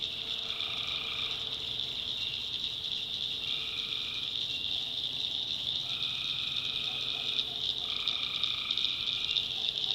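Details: Night chorus of tree frogs in a North Carolina swamp, a continuous high buzzing trill with repeated banded notes lasting about a second, coming roughly every two seconds, plus a low steady drone.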